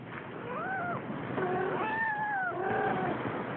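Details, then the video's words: A Siamese kitten meows while playing. It gives several short rising-and-falling harmonic meows in quick succession, some bending upward and others gently sloping down, over a steady background hiss. "Siamese kitten playing"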